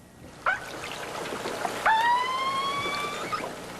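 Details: Keiko the killer whale calls underwater about an hour after splashdown on 1998-09-07, apparently trying to get attention: a brief tonal squeal, then a long, slowly rising harmonic whine.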